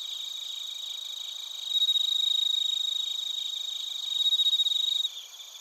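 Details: Crickets, including bell crickets, in Narita, Chiba, Japan, captured with a TASCAM Portacapture X8: a near caller's rapid pulsed trill rises in two loud bursts above a constant high chorus, then fades abruptly.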